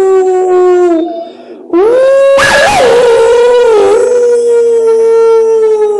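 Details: Hound dog howling at wolves: a short low howl, a brief pause, then a rising howl that wavers and breaks roughly in the middle before settling into a long, gently falling tone, with a burst of rough noise during the wavering part.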